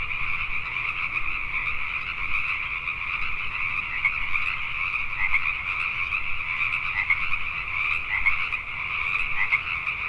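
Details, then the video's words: Night chorus of Pacific tree frogs in Richmond, British Columbia, Canada: countless callers overlap into a continuous croaking wall, with a few louder individual croaks standing out near the end. "Pacific Tree Frogs at Night"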